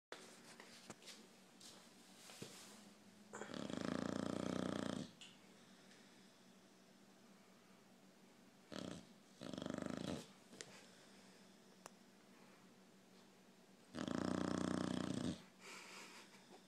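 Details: Sleeping dog snoring indoors: long, broad, rasping inhalation snores lasting one to two seconds, spaced several seconds apart, with soft breathing and faint room noise between them.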